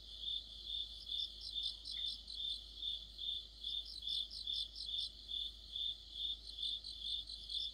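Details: In mid-autumn, crickets and companion insects chirp together. A clear, regular pulsed chirp repeats about twice per second, with busy, high trills clustered above it.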